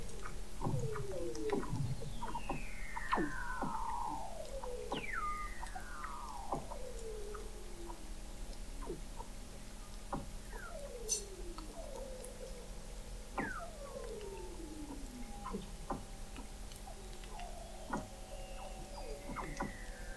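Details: Weddell seals sing under sea ice in McMurdo Sound, Antarctica, recorded November 2017 at the McMurdo Oceanographic Observatory 21 m below the ice. Overlapping whistles repeatedly sweep downward, with scattered chirps and clicks throughout.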